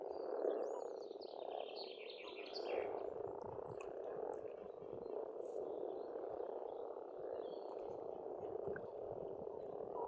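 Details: Dense croaking of many frogs at an Estonian pond in spring, a continuous rolling churr, while a bird sings thin whistled phrases above it early on.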